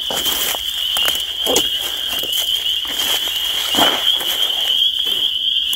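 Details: Chorus of spring peepers forming an unbroken, piercing high whine from many overlapping callers, broken by a few louder crackling clicks and faint low rustling.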